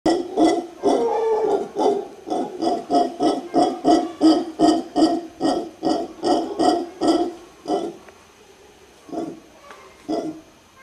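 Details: A mantled howler monkey in Guanacaste, Costa Rica gives a fast run of deep, gruff, pulsing grunts, roughly three every second.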